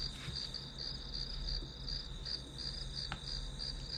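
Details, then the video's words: Grass insects calling as study background: high pulsed chirps, roughly three per second, over a steady high ringing tone and low hum, with one sharp click near the end. "풀벌레 소리"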